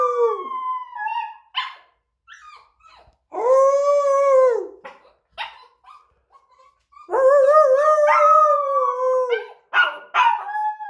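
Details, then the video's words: A playful, restless pet puppy, urged on by its owner, howls like a little wolf: two long, drawn-out tonal howls that slide slightly downward. Between them come short yelps and whimpers, with brief silent gaps. "Puppy howls like a WOLF"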